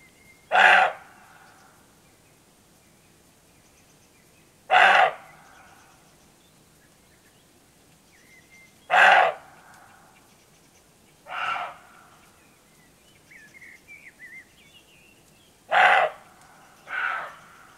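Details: Roebucks barking in the Rhodope Mountains, Bulgaria, before nightfall, several deer calling against each other. Harsh, hoarse single barks come roughly every four seconds, with a quieter answering bark following some of them and faint bird chirps between.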